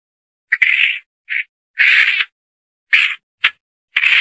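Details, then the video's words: A mongoose gives harsh, buzzy, high-pitched squeals in short irregular bursts, about seven in four seconds, with silence between them. "SUARA HEWAN GARANGAN"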